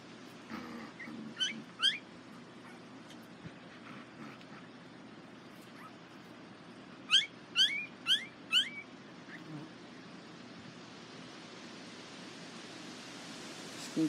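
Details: Litter of Border Collie puppies (Nell x Skeet) at the International Peace Gardens on 12 August 2018: two short high squeals early, then a tight burst of four whining cries, with long quiet gaps and faint background rumble.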